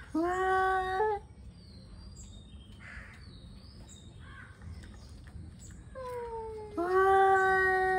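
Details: Angry male cats ready to fight yowl loudly for about a second, fall quiet while small birds chirp thinly in the background, then resume with a falling moan and a loud sustained wail.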